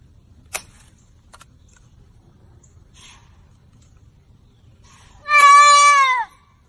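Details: Young deer caught in a fence, crying out in pain: after near silence with a faint click, one loud, harmonically rich bleat, level then sliding downward, lasting about a second.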